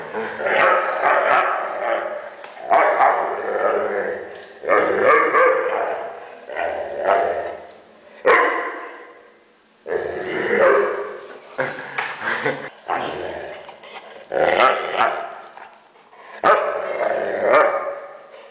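A Weimaraner gives a run of odd groaning, grumbling vocal noises in bursts of a second or two.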